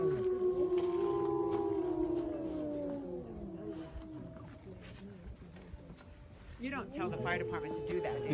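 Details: Several wolves at the Lakota Wolf Preserve, recorded March 5, 2023, howl together in long overlapping drawn-out tones that slide downward and fade over about five seconds. People begin talking near the end.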